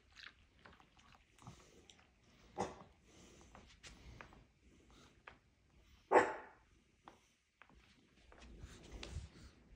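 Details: Daisy, a Chihuahua, indoors with Cooper, who follows her when she barks at someone at the door: one loud, sharp bark stands out midway among quieter scattered yaps, clicks and shuffling in a small room.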